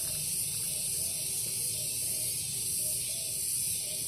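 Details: A short stretch of cicadas in a garden at dawn: an unbroken, bright hissing drone with faint wavering, and some low rumble below.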